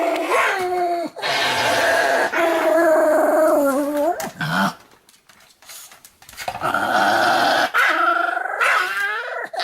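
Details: Pomeranian named Sam giving an energetic morning and night greeting: long, wavering, harmonic howl-like yowls in two sustained bouts, pitch sliding up and down with short breaks, separated by a quiet pause midway.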